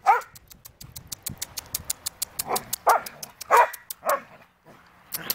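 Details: Sheepadoodle puppies meeting the big dogs: a few short, mid-pitched barks and yips scattered over five seconds, set against a rapid run of sharp ticking clicks.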